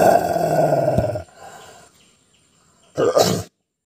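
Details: An aggressive Rottweiler gives a deep, rumbling growl, then a sharp, harsh bark.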